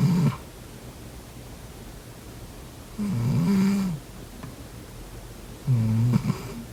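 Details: Cat snoring while sleeping, low buzzy rattling snores: one trailing off at the start, then two more roughly two and a half seconds apart, in a quiet indoor setting.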